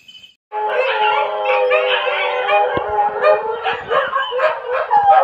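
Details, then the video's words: Dogs howling at 2 a.m.: several loud, overlapping drawn-out howls with rich harmonics start after a brief pause and hold steadily, wavering and swelling, until the end. "เสียงหมาหอน ตอนตี2"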